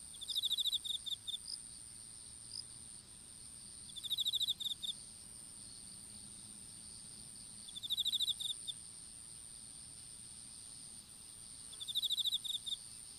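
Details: Insects in an outdoor strawberry field while seedlings go in: short buzzy pulsed trills return about every four seconds, each followed by a couple of chirps, with a constant high-pitched drone throughout.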